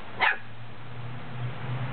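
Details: A Goldendoodle puppy, scared to come downstairs while being coaxed, gives one sharp, high, fearful bark, followed by a low steady hum.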